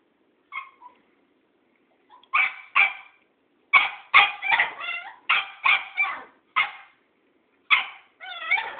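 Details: A Cairn Terrier gives a rapid, uneven string of sharp, high-pitched barks and yips at an old tomcat.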